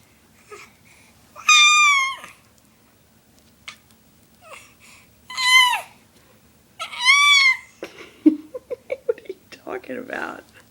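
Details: A seven-month-old cat chattering and making noise: three drawn-out, tonal meows that rise then fall, at roughly two-second gaps, followed by a run of short, soft chirps and scuffles in a small indoor room.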